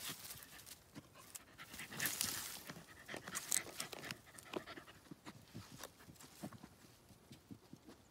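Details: Border Terrier named Cooper tearing at tree roots to reach an animal hiding beneath; quick, irregular huffing pants, louder around the middle, over scraping and rustle of digging.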